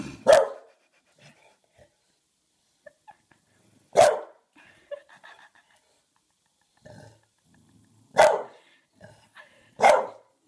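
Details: Bulldog wearing a cone, unable to recognise himself in a mirror, barks indoors: four loud, harsh single barks spaced about four seconds apart, with soft grunts and small scuffling noises between them.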